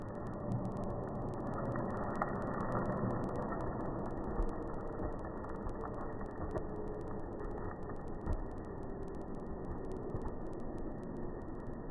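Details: Steady broadband rumbling noise, like traffic or wind, fills the whole recording with no animal calls.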